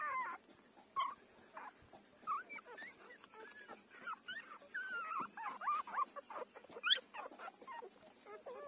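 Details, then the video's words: Five-day-old puppy breastfeeding, with a busy stream of short squeaks and wavering whines mixed with soft rustling and suckling noises. "beautiful puppy 5-days-old take breastfeeding"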